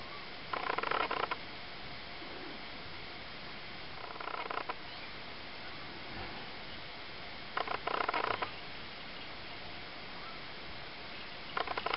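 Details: Four three-week-old Ocicat kittens, a black silver female, a chocolate female, a tawny female and a tawny male, give short, harmonic mewing bursts roughly every three to four seconds over a steady background hiss.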